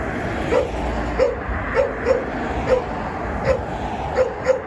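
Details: Jindo dog named Songi, thin and eating little while temporarily fostered at an acquaintance's home, on a short evening walk after work; short, high, yelping notes repeated nearly twice a second, with faint background hum.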